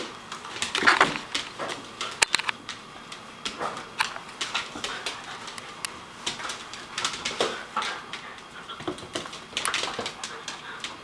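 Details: Two Basenjis, an adult and a new puppy, give short whiny yips and grumbles amid scuffling noises as they wrestle in play in a kitchen.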